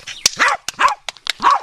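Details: A retired New Zealand show champion Cavalier King Charles Spaniel, very vocal and excited, practising agility weave poles on Christmas Day 2011: three sharp, high yipping barks about half a second apart, with sharp clicks between them.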